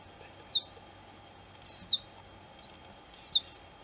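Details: Cheetah cubs calling their mother: three sharp, high, downward-sliding chirps about a second and a half apart, each very brief, over a faint steady hum and quiet background.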